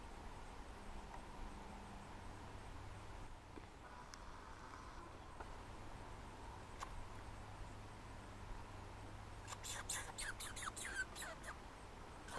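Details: Red squirrel (Sciurus vulgaris) at Lac Boivin, Québec, Canada, gives a quick burst of harsh, clicking chatter calls over a steady low rumble.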